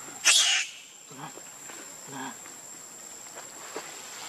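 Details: Baby monkey Leo, hungry and crying to beg its mother for milk: one loud, shrill, harsh cry lasting about a third of a second near the start, followed by quiet rustling and a steady thin high background tone.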